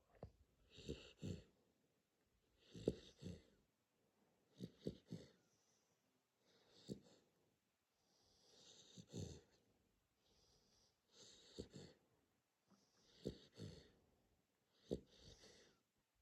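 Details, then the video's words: Sleeping Corgi snoring softly: wheezy, breathy snorts and rasping inhalations recurring about every two seconds, some doubled, quiet and close in an indoor room. "Храпящий корги"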